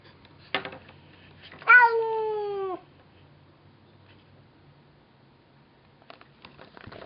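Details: Domestic cat, heard offscreen while chatting with a neighbour cat, gives a single drawn-out meow lasting about a second. The meow is clear and slightly falling. It follows a sharp click and is followed by faint bumps and distant speech.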